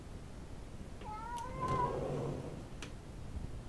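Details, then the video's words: Pet cat, female, vocalizing territorially at another cat spotted in the backyard; a rising, wailing yowl swelling into a rough growl, with a few sharp clicks and a quiet room behind. "Cat gets territorial"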